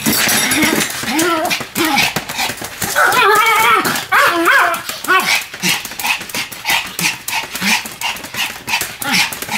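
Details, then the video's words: Pet Pomeranians Sam and Marin bark in duet, opening with bent, whining yelps and wobbly high cries, then settling into a fast, regular run of sharp little yaps repeated several times a second. "犬の鳴き声 ポメラニアン サム マリン デュエット吠え"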